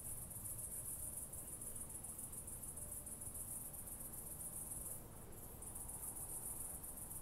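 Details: A southern oak bush-cricket (Meconema meridionale), Starnberg, Germany, 7 August 2023, made audible by an ultrasound detector, gives a long sustained high-pitched buzzing, broken by one brief pause near the end, with faint low background noise.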